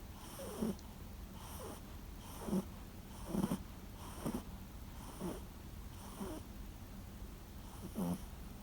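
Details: Former rescue dog Sara, a Toy Poodle, sleeps and snores like an old man: wheezy, rasping snorts repeat about every second with slightly irregular gaps, over a low indoor hum.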